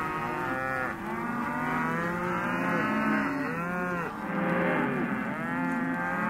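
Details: Many Hereford and white-faced calves at a sale, bawling together in a steady wall of overlapping moos, several arched calls swelling and fading without pause.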